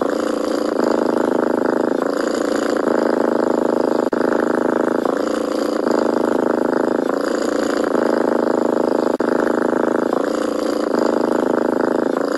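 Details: A young stray kitten purrs continuously, heard very close. The low, motor-like rumble changes tone every second or two as it follows each inhale and exhale.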